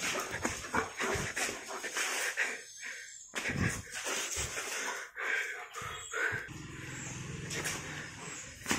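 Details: Brief whimpers and yelps from a German Shepherd come in short bursts separated by pauses, over rustling and handling noise.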